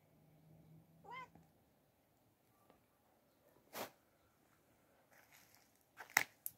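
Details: Farm cats at feeding time, 31 March 2024 at 14:00: a single short, wavering meow rises and falls early on, followed by quiet stretches broken by a few sharp clicks and knocks.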